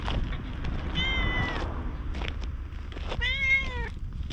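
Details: Ginger tabby community cat outdoors, talking in cat language as it follows along after being petted; two clear meows, the first flat and drawn out, the second arching and falling, with rustling background noise.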